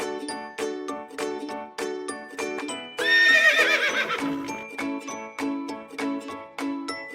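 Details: A horse gives one loud, quavering whinny lasting about a second and a half, wavering and then falling away, set against steady plucked music with bright bell-like notes throughout.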